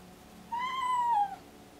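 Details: Deaf pregnant domestic cat in pre-labour, excited and meowing constantly: a single drawn-out meow, rising slightly then falling, about three-quarters of a second long, with rich overtones over faint background hum.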